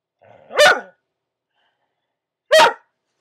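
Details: A pet dog answers the spoken command "speak" with two single sharp barks about two seconds apart, each clipped and bright, in a quiet room.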